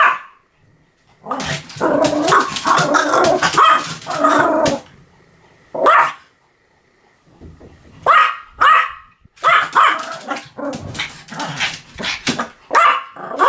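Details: Rapid, dense barking from a Pomeranian, a long burst of overlapping sharp yaps followed by silence, then another flurry of high barks and snappy yips, some with a rough, growly edge.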